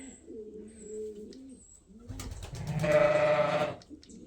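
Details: At Ewetopia Farms, during ear tagging of lambs, soft pigeon cooing opens before a loud, rich bleat of just over a second cuts in, then fades into quiet barn sounds.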